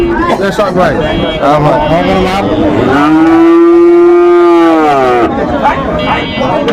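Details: At a crowded cattle market on 20 December 2024, a Sahiwal-breed bovine gives a drawn-out, even, low-pitched moo of roughly two seconds. People speak nearby before and after, with general market chatter.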